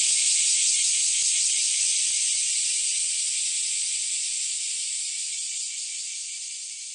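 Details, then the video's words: Cicadas heard in summer 2008 at Kiyomizu Temple in Kyoto, Japan: a dense, shrill, unbroken buzzing hiss that holds steady throughout and fades slightly toward the end, with no other clear sounds. "Bell of Kiyomizu Temple and Sound of Cicada in Kyoto, Summer 2008"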